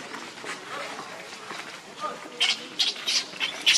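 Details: Baby monkey giving a run of loud, harsh, noisy squeals in quick bursts through the last second and a half, after quieter murmuring background.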